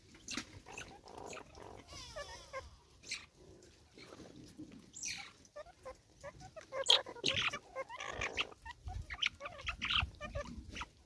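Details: Banded mongooses in South African forest give short grunting and chirping calls among rustling and clicking forest sounds.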